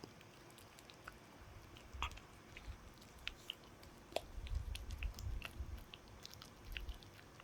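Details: Dog gnawing on a chew indoors, with irregular crunchy bites and clicks scattered across seven seconds over low thumping, louder chomping clusters near the middle and end.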